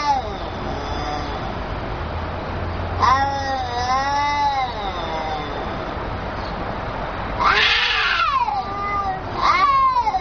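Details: Two angry cats communicating through long growling yowls; a wavering howl swells and fades, then harsh screeching bursts and a falling wail near the end.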